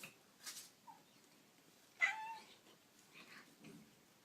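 Kittens give brief, thin, high-pitched mews among soft scuffling noises.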